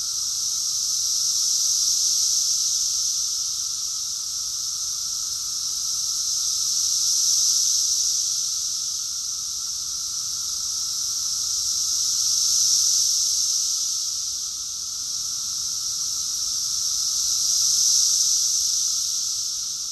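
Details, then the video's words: Cicadas singing together in Rockville, Maryland, USA, June 2021, a continuous shrill buzzing wall that swells and fades in slow waves about every five seconds, over a faint lower hum. "Cicadas song || Cicada's chorus song"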